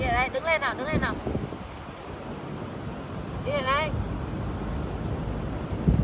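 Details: A pet female monkey at the beach gives wavering, quavering fearful cries over steady wind and surf, scared when she meets crabs.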